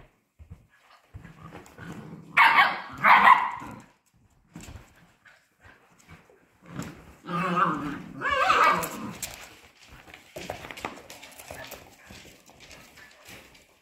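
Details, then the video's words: Polish Hunting Dog puppies, 55 days old, at play: loud rough barks and yelps in two bursts around seconds two to three and seven to nine, with softer scuffling, whines and low growling between them. "Polish Hunting Dog puppies' play day 55"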